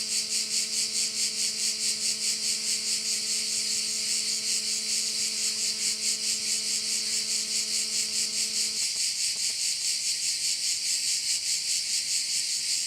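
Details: Korčula bay crickets keep up a loud, high, pulsing buzz about twice a second; a low steady motor hum underneath stops after roughly nine seconds, leaving the insect chorus alone.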